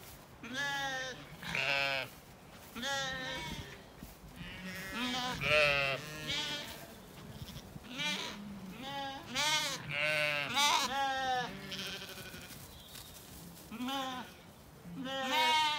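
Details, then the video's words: Ewes and lambs grazing together among flowering apple trees in a spring orchard in County Kilkenny, Ireland, calling to each other: many overlapping wavering bleats, some deep and some high, in a near-continuous chorus. "sheep call to each other"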